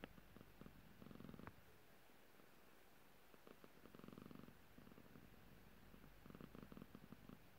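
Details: Annoyed, slightly grumpy pet cat gives low rumbling bursts, each about half a second to a second long and separated by quiet gaps, with soft throaty pulses in a quiet room.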